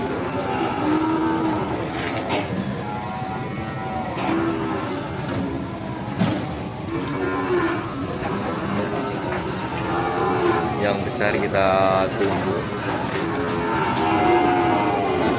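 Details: Large Peranakan Ongole cattle at a pop-up livestock market in Kebumen in the morning: several drawn-out, wavering moos recur through the recording over dense crowd chatter and market noise.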